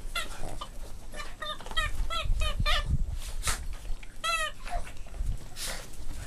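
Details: Boston Terrier puppies playing, giving a run of short high squeaky yelps and whines with harmonic stacks, several in quick bursts, over low thumping and shuffling of play.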